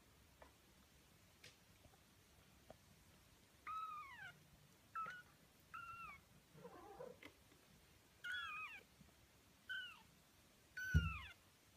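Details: Nineteen-day-old Birman kittens from a litter of five mew repeatedly in short, high, downward-curving calls, several close together, with a brief soft rumbling purr-like sound and a low thump near the end.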